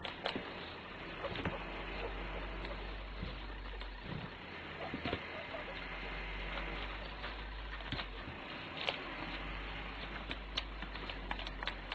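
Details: Steady broadband rumble like a passing vehicle or boat, with scattered clicks and faint speech, and no animal voice.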